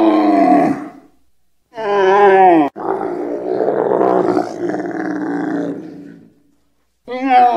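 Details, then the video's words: Camel blaring, or bellowing: a harmonic-rich groaning call with a falling pitch, then a long rough roaring grunt of about three seconds, and a further harmonic bellow starting at the end. "CRI DU CHAMEAU🐫 LE CHAMEAU QUI BLATERE🐫 CAMEL SOUND"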